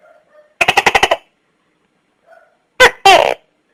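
A Tokay gecko opens with a fast burst of about six harsh clicks, then after a pause barks a loud, nasal two-syllable "to-kay". Faint soft chirps sit quietly in the background.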